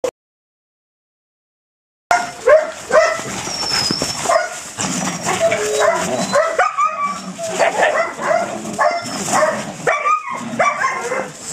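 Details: Belgian Malinois puppy during its first bite work, an introduction to police protection training; after two seconds of silence, a run of short high yips, barks and whines with some overlapping speech-like sounds and background noise.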